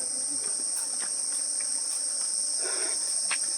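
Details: Crickets in the quiet Mini Sundarban forest at Taki, West Bengal, with no people around: a steady, high, shrill continuous trill runs throughout, with soft footsteps and rustling underneath.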